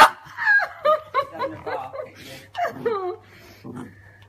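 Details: Eleven-week-old Dandie Dinmont terrier puppies arguing over a sock, giving high, wavering whines and yelps that rise and fall in quick succession, with a steady low hum underneath.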